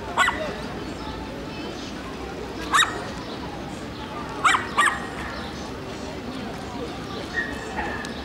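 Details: Shelties and papillons interacting: scattered sharp, high-pitched yips and squeaks spaced several seconds apart against a quiet room background, with a faint voice.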